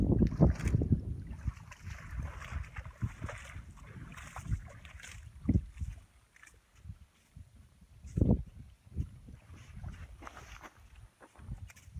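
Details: Boat and water noise on Saguaro Lake on a hot August morning, with low rumbling, gusts of wind on the microphone and a few faint voices.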